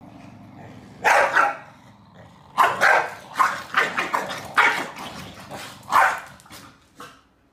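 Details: Male and female corgi fighting over the bed in Beijing, July 28, barking and snapping at each other; a rapid run of harsh, broadband barks, about ten, clustered in quick bursts with brief pauses.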